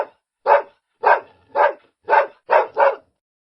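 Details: Dog giving six sharp barks roughly every half second, the last two close together, with a clean quiet background.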